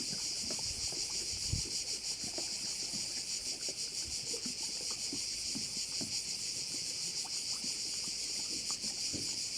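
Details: Insect chorus of crickets heard over a Korčula bay. Continuous shrill buzzing with a rapid even pulse never stops, while soft low taps and water-like ticks come and go underneath.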